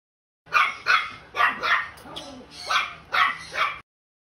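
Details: Pembroke Welsh Corgi from the Philippines giving sharp, bright barks in quick pairs, about seven barks over three seconds with a short gap in the middle.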